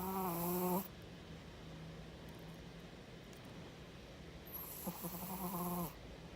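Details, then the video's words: Snoring Chihuahua: a nasal, whistling drone opens the recording, fades to a soft low hum of breath, then a second buzzy, wheezing snore rises near the end before quiet returns. "Чихуахуа храпит"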